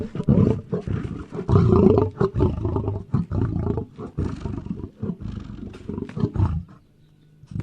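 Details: Lion roaring and growling in the African savannah: harsh, low, rumbling bursts broken by short pauses, some louder surges around the middle, fading to quiet near the end.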